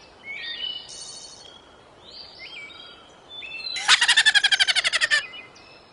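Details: A prairie dog gives a quick, loud run of repeated yipping notes near the end, a rhythmic rapid-fire laugh, while softer bird chirps and whistles sound earlier on.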